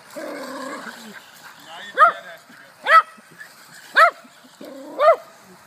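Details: A little poodle fascinated with a toy car, chasing it non-stop, gives four high, arched yapping barks, roughly one per second. A person's voice is heard at the start, over a steady low background hum.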